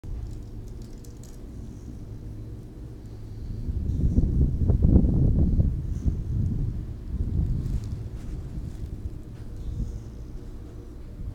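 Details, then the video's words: Gidget, a female American Pit Bull Terrier mix awaiting adoption at the Berkeley-East Bay Humane Society, snores in a mellow, nasal way; low rumbling breaths swell louder midway and then fade, over a faint steady background hum. "Gidget Snoring at the Berkeley -East Bay Humane Society"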